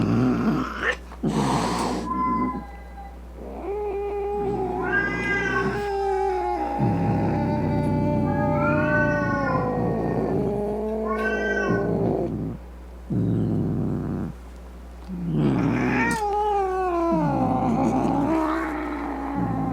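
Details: Domestic cat meowing angrily to frighten rats, opossums and other cats; a series of loud, wavering yowls and growling caterwauls, each a few seconds long with short pauses between, rising and falling in pitch, over a faint steady hum.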